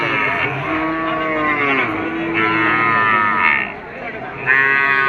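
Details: Bulls at a cattle market where buyers haggle over prices: several long, wavering moos follow one another, their harmonic tones bending up and down, over men bargaining and background music.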